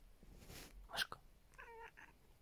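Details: Domestic cat indoors making a short, squeaky yawning meow with a slight wobble, after a rustle and a sharp click, with a woman talking to the cat around it.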